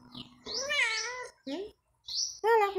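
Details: Domestic cat billed as a talking cat, making wavering, bending meows in short bursts with gaps between them. A person's voice is heard alongside.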